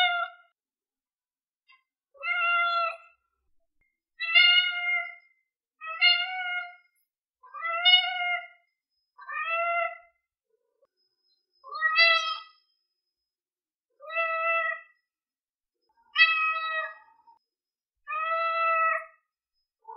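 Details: A series of short, clean, flat-toned meows from a cat, about ten calls repeated roughly every two seconds against silence.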